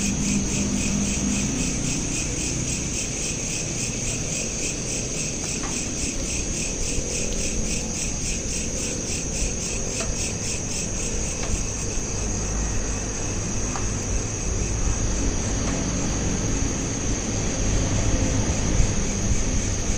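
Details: Crickets chirping at night, recorded on a smartphone and looped: a steady high pulsing trill repeated about three times per second over a constant low rumble, with a few faint clicks.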